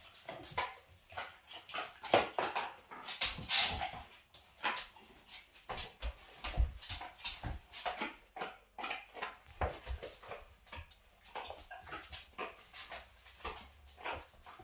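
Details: Kyla, a cream Labrador mother on her first litter, disciplining her 5-week-old puppies when they fight and teaching them to play nicely indoors; a rapid, irregular run of short yelps, whimpers and scuffling bursts throughout.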